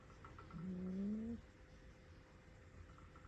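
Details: Rescued young domestic cat, a kitten saved from nearly falling into a river, frightened by a vacuum cleaner and giving an alarm call: a single low, drawn-out growling moan rising slightly in pitch, under a steady background hum.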